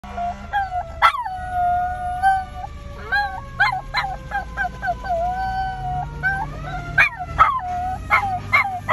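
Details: Miniature Schnauzer; howl; fearful reaction to a fire truck horn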